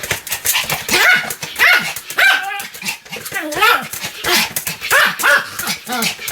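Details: Continuous yapping from Sam the Pomeranian: quick, shrill barks with rising and falling pitch, tumbling out almost without a break for several seconds.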